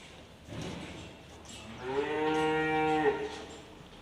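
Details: Dairy-breed calves on a farm, with one giving a single drawn-out, rich harmonic moo lasting over a second, steady then slightly falling at the end, after soft shuffling and thumps.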